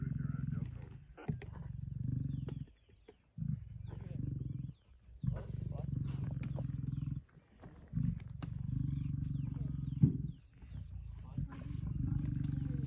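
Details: At a buffalo kill in Kruger National Park on 26 September 2023, a male lion and a pride growl deeply. Long rumbling pulsed snarls last several seconds each, broken by brief silences. Faint clicks and soft voices behind.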